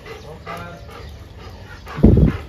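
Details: A dog at a training school in Jodhpur, India, gives a single loud, low, harsh bark near the end, after a trainer's repeated spoken commands in Hindi calling it inside.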